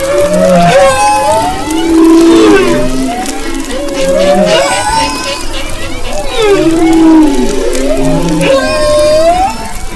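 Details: Humpback whale song off western Maui, February 2011: rising and falling moans and whoops in phrases roughly every two seconds, with fainter higher squeals and several singers overlapping.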